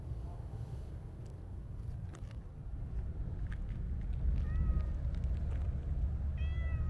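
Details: Stray Siamese mix cat, satisfied after petting, lets out two brief meows near the end after faint rustling and taps, with a persistent deep rumble in the background.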